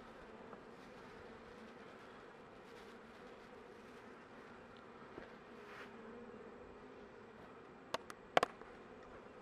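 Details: A late-winter honey bee colony being tended to survive until spring; an unbroken low buzzing hum, with a few sharp wooden clicks of frames near the end.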